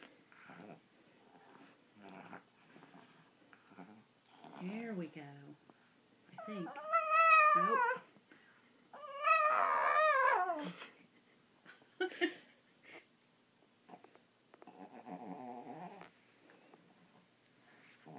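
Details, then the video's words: Nearly 14-year-old Pekingese bitch, torn over where to eat her treat, makes quiet grumbles, then two louder warbling, yodel-like whines in the middle, with a woman's gentle voice and soft household noise around them. "Talking Peke"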